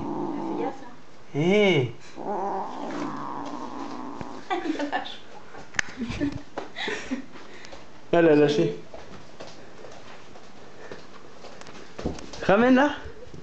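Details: Cat playing with a sock indoors, giving three drawn-out wavering meows, at about two, eight and twelve seconds, between rustling and thumps of play, with French speech and faint music nearby.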